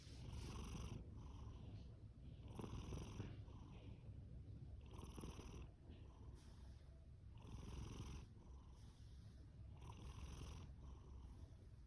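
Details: Fasu, a male orange tabby cat born October 2019 and adopted from a rescue shelter, sleeps with loud snoring: a steady low purring rumble under airy, hissing breaths that repeat roughly every two and a half seconds.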